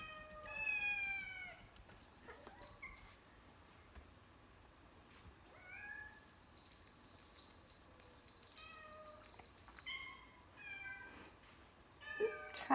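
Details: Cats and kittens meowing, played back from a funny compilation: a string of separate, drawn-out, whiny meows, some rising and falling, some short and squeaky, with a high thin tone and faint background noise.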